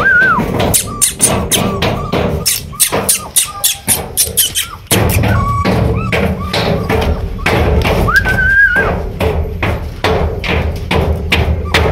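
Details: Rhythmic music with sharp percussive knocks and a gliding melodic line, with a voice faintly beneath it; no animal calls stand out.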